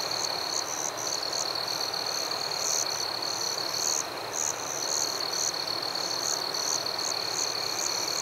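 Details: Crickets calling in a forest after dark, a steady piercing trill broken briefly near four seconds, with sharp chirps repeating rapidly and unevenly over the top.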